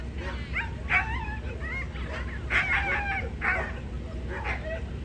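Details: Female Corgi at a dog show in Niigata Prefecture, Japan, on 11 June 2022, giving high, wavering whines and yips in short bursts about once a second over a steady low hum.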